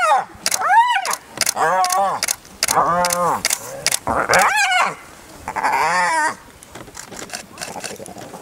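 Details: Spotted hyenas during an adult's relentless attack on a young clanmate: bursts of arched, wavering squeals and yelps mixed with sharp clicking thuds, fading to quieter background noise after six seconds.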